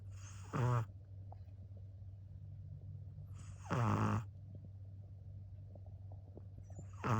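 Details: A sleeping dog snores in three harsh, rattling bursts, each lasting about half a second and spaced roughly three seconds apart, over a steady low background hum.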